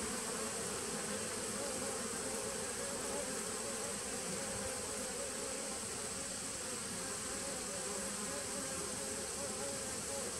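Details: A dense, even drone from a nucleus honey bee colony begun in 2017, captured 19 September 2018. The hum stays constant and loud throughout, with a faint high hiss above it and no breaks or other voices.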